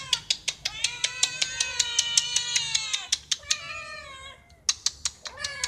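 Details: Domestic cat meowing to ask for food or attention: one long, drawn-out, slightly falling meow, then a shorter one, over a steady tapping of sharp clicks about twice per second.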